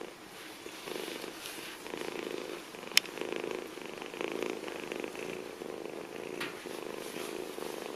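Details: Purring from an abandoned kitten rescued near trash cans in Bulgaria: a low, rhythmic throb that rises and falls with each breath, broken by one sharp tap.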